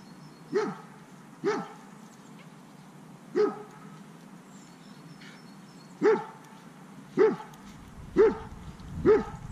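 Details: Anxious, reactive dog barking out of fear at unfamiliar dogs passing by, during counter-conditioning training; seven short, sharp single barks spaced irregularly about one to two seconds apart, with quiet background.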